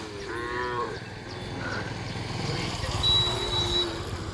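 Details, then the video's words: Indian native cow lowing: a short drawn-out moo with rising harmonics early on, over steady rumbling background noise and a faint high tone. "देशी गाय"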